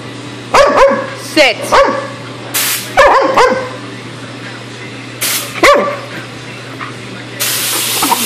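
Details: Dog attacking an airgun hose, a few loud barks and a whiny yip spaced over several seconds, long hissing air bursts from the hose, a continuous low hum in the background.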